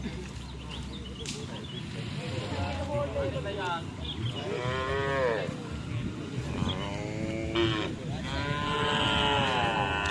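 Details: Racing cattle at karapan sapi bull race training at the Asemanis field in Pamekasan, giving several drawn-out, rising-then-falling harmonic moos among constant crowd chatter, music and general outdoor commotion.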